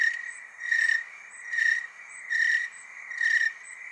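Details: Tree cricket chorus in the Willamette Valley, Oregon: a steady high trill pulsing louder about every 0.8 seconds, swelling and fading in a regular rhythm, with fainter overlapping callers continuing between pulses.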